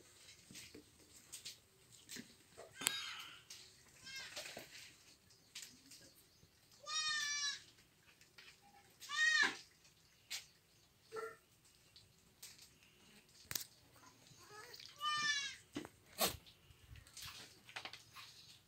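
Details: Several goat kids eating leaves call repeatedly with high, quavering bleats, about five clear calls of varying length, amid crunching, rustling and sharp clicking sounds of feeding.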